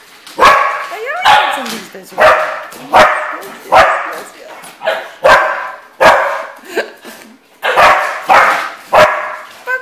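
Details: Several pet dogs in the morning bark excitedly while being offered something special, sharp loud barks repeated roughly every second with brief whines, a woman talking to them between barks.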